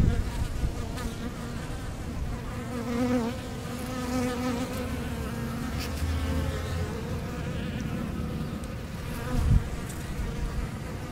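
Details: Honey bees drinking from a leaky hose and fanning their hive, a continuous low buzzing drone with wavering tones rising and falling, and a short knock near the end.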